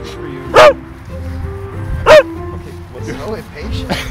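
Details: Oliver, a Beagle at a dog park north of Chicago, barks impatiently and loudly while treats are handed out; two sharp, loud barks about one and a half seconds apart, with background music and people talking.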